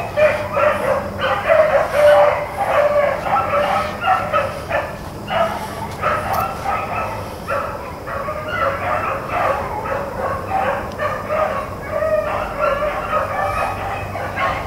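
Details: Blackcreek and Bluetick hounds on a rabbit chase, April 4, 2013, giving fast, overlapping bays and chops, about ninety a minute, several dogs crying at once in a continuous excited chorus over low background hum.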